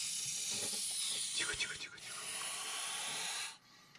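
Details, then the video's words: Montpellier snake hissing defensively in reaction to a threat: a steady, broad, breathy hiss lasting about three and a half seconds, with a man's soft voice briefly overlapping in the middle before it cuts off. "Ящеричная змея (Malpolon monspessulanus). Реакция на угрозу"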